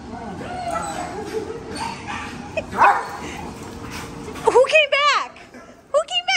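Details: German Shepherd dog reunited with its owner: excited, wavering high whines and yelps near the end, rising and falling in quick pulses, over an excited human voice and background chatter.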